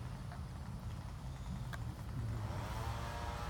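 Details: Steady low rumble of a passing car or vehicle engine fills the recording, with faint outdoor background and no animal voice.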